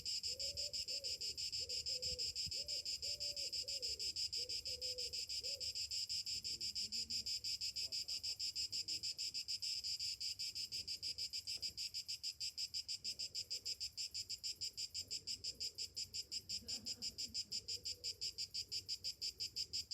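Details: Summer morning chorus of cicadas, a steady shrill buzz throbbing in rapid regular pulses; a dove coos several times near the start and again faintly later.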